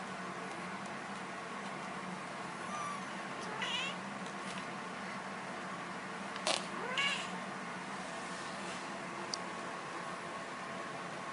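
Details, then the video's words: Little kitten sneezing: two sharp, breathy bursts in quick succession midway through, preceded by a faint thin mew, over a constant low household hiss. "Cute Little Kitten Sneezes"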